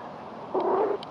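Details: Eight-week-old golddust Yorkshire Terrier puppy Tia, being washed by her mother Zoeï. A brief, thin, slightly wavering whine lasting under half a second over quiet background.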